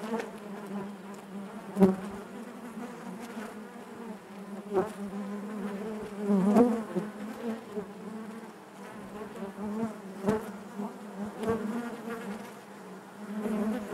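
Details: Steady, deep hum of honey bees within the hive, thick with overtones, pulsing gently in loudness and broken by scattered sharp clicks and brief louder buzzes, notably near two and six and a half seconds.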